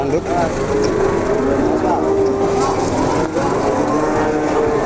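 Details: Simmental cattle at the Pasar Pon cattle market in Ambarawa, Indonesia, lowing in drawn-out, steady moos amid a busy crowd, with people talking, vehicle noise and faint music in the background.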